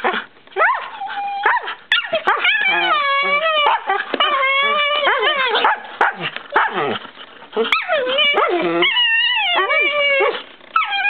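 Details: A Shiba Inu and a Siberian Husky playing together under a kiddy bed, with nearly continuous high, wavering whines and yowls that bend up and down in pitch. Short yips break in between the longer, drawn-out cries.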